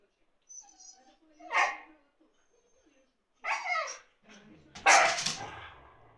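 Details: Siberian Husky at home, provoking a second husky to play while that dog rests under a sofa; three loud, rough, bark-like bursts spaced over a few seconds, with softer murmuring between them.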